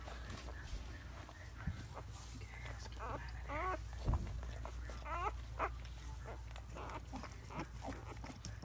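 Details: Newborn Siberian Husky puppies, part of a litter of eight, being born to their mother Luna indoors; thin, high wavering squeals rise and fall in a few short bursts amid quiet human voices and soft rustling.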